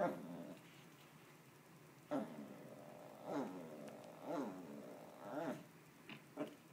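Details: Percy, a pet dog, growls while playing: a series of low, rough harmonic growls, each rising and falling, coming roughly every second, with a person's voice talking to him indoors.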